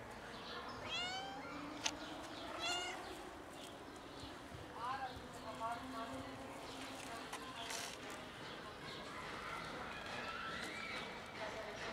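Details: Three kittens playing with their black mother cat and then eating; thin, high, arching meows come in short bursts near the start and middle, over steady background hiss with faint other noises.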